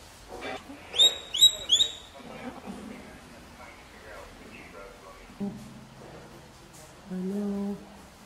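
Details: Baby capybara being treated, giving three quick, high, whistled chirps in fast succession near the start, followed by softer low murmurs and human voices nearby.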